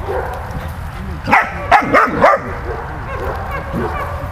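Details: Dog named Malta playing with Bulat, giving four quick sharp barks in a rapid burst midway through, over a steady low background rumble.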